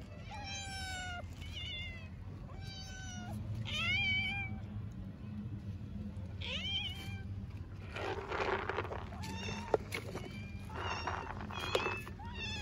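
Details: In Istanbul, a hungry orphaned stray kitten meows again and again, a series of sharp, rising-and-falling high cries. Later, loud rustling and handling noises overlap the last meows, with low street rumble throughout.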